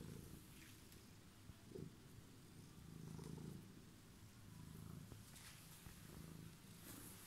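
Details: Low, continuous purring from a homeless cat that waited on the stairs, a droning rumble swelling and easing in soft cycles, with light rustling and clicks above.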